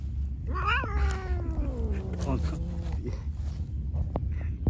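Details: Angry white cat said to be attacking everyone gives a drawn-out, wavering yowl that falls slowly in pitch over about two seconds. A steady low rumbling noise runs underneath.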